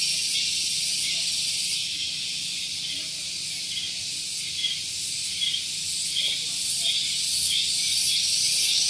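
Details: Morning cicada chorus at Gunung Geulis in Bogor, West Java, recorded close to a parking area: a continuous shrill hissing buzz that throbs gently about three to four times per second and strengthens toward the end.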